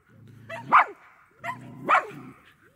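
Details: Medium Poodle running: two sharp barks about a second apart, each rising quickly from a low growly onset to a bright peak, with quiet low rumble between.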